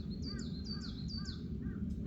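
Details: A male water deer calls repeatedly on a mountain during a hike, heard from a ridge, reason unknown: harsh, rasping screams about half a second apart over a low rumble of wind or handling noise.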